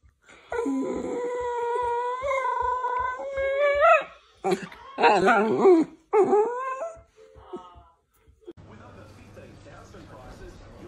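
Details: Playful miniature dachshund giving long, drawn-out whines that rise and waver over about three seconds, then shorter wavering whimpers and yelps, with a person talking and some background hiss near the end.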